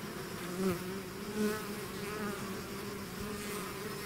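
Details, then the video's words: Short burst of a bee swarm out of its hive: steady humming drone with two close bees swelling louder around the first and second seconds. "bees therapy swarm natural buzzing sound"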